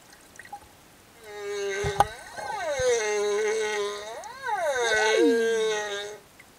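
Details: In Tonga reef waters, a singing male humpback whale escorting a mother and calf gives long tonal units with arching rises and falls, a bright whine ending in a descending sweep, with a few clicks in the water.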